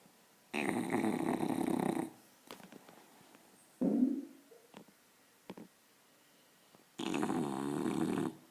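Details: An English bulldog puppy snores hard while asleep, with long, rough, rattling breaths; it snores this loudly every time it sleeps.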